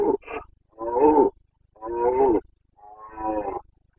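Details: Rutting Carpathian stag in the Bucovina forests of Romania, breeding season 2022: a short grunt then three long, rasping, harmonic roars in steady succession, roughly one per second, with faint low rumble beneath.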